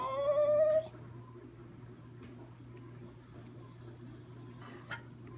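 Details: A schnauzer "singing" gives one short, tonal howl that slides gently upward, then falls silent.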